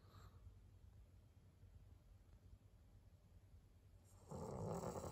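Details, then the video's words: Maria, an 11-year-old senior fawn female pug in Japan, recorded on 17 April 2022 while asleep indoors: low, rumbling snore breaths under a steady hum, ending in a louder, rougher exhaled snort. "パグのマリアさん。Pug Maria."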